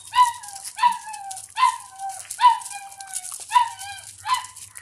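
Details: Doberman puppy playing in the house while being fed milk; six loud, high whimpering cries, each starting sharply and sliding down into a long tail, spaced under a second apart.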